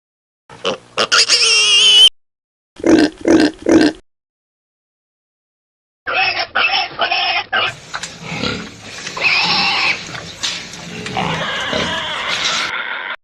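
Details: Piglets suckling: short bursts of harmonic squeals and grunts in two early groups, a pause, then a longer busy stretch of overlapping squeaks and snuffling grunts.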